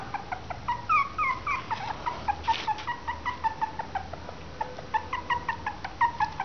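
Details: Three-week-old Westie and Maltese cross puppies whimpering and squeaking, with short rising-falling high-pitched cries repeated several times per second, some voices overlapping.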